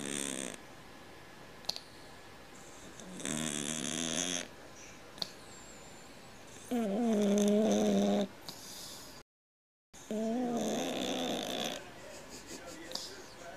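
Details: Sleeping house cat, whose snores are likened to a man's, produces loud rattling snores at intervals of several seconds, some with a wavering vibrating tone, separated by soft breathing and a short silent gap.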